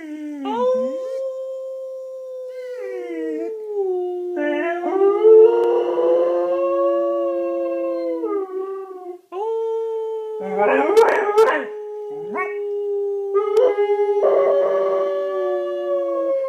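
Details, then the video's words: Eight-month-old German Shorthaired Pointer howling along with its owner: long, steady, smooth tones that hold level, then bend down and rise again. Two howling voices overlap, with rougher, broken bursts near the middle and end. "Howling GSP"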